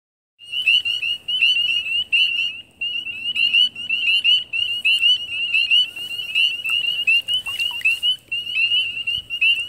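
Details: A wood frog gives its release call, a rapid run of high, chirping pulses.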